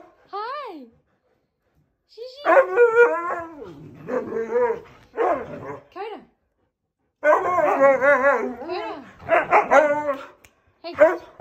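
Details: Shiro, an 11-year-old Siberian Husky, with little brother Coda, greets his returning owners by angrily telling them off for leaving him: bursts of wavering, yodelling howl-moans with quick pitch bends, broken by short silent pauses.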